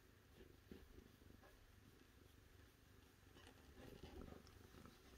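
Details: Cat purring softly indoors: a steady, low rumbling drone runs through the whole stretch, with faint light clicks and rustles above it.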